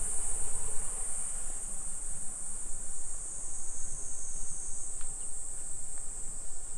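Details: Cicadas singing in summer in a suburban neighbourhood of Nisshin city near Nagoya, Aichi Prefecture, Japan, at 2 PM on 28 July 2021: a steady, unbroken high shrill buzz fills the air over low rumbling street and walking noise.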